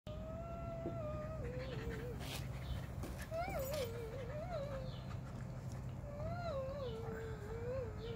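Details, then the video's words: Whiskey, a pet Alaskan Husky, vocalizing while playing: long wavering, yodel-like tones that slide up and down in drawn-out phrases, with a couple of short breaks and a steady low hum in the background. "FUNNIEST & CUTEST DOG HUSKY PLAYING"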